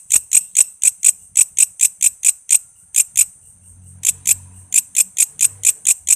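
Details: Walang kece katydid, recorded as tutor sound for murai, lovebird, cucak ijo, kacer and other songbirds: sharp, high, ticking chirps about twice a second, broken by a pause midway with faint low hum beneath.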